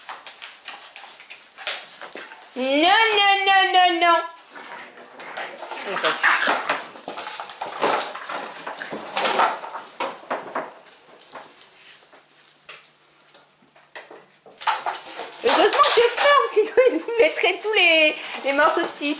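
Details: Seven-week-old Staffordshire Bull Terrier puppies of the 45th litter, indoors on 24/11/2021, playing; a rising series of whiny, harmonic whimpers near the start and more squeaky whines at the end, over French speech and clattering.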